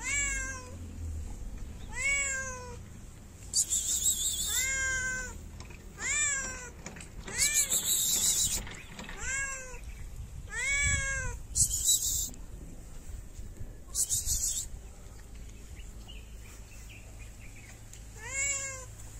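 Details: Shy stray cat in a Moroccan city meowing for food while staying wary of people: a string of clear rising-falling harmonic meows roughly every second, interspersed with bursts of hissing noise and faint low rumble.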